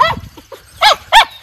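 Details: Miniature Schnauzer, one of two brothers out in their yard in Maine in mid-April 2023, their first time outside after two months indoors. Two short, sharp barks land about a third of a second apart, following some faint, softer sounds.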